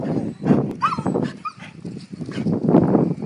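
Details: Keeshond family, several dogs playing together, giving short throaty grunts and a couple of rising whiny yelps amid rough-and-tumble noise, with a person's brief exclamations nearby.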